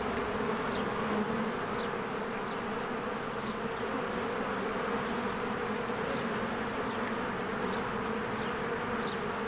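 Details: Honeybees flying diligently in and out of their cozy hive among spring blossoms, producing a uniform humming buzz, with several soft, short bird chirps scattered high above the drone.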